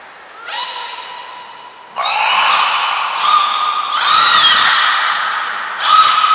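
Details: Belugas Nana, Mirai and Niko, kept at Port of Nagoya Public Aquarium, in training on 11 January 2021: strong, rich harmonic calls, nasal and buzzy, in four or five long bursts separated by brief gaps.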